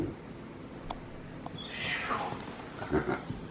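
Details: Capuchin brothers MonkeyBoo and MonkeyHappy, pets, chatter to each other: one clear whistle sweeps steeply downward from high to mid pitch, with soft clicks and muffled handling noise before and after.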